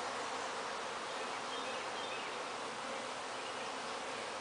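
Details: Swarm of honey bees clustered without a nest at a house in Bedford, giving a dense, steady, unbroken buzzing drone that holds level throughout, with a few faint higher tones drifting above.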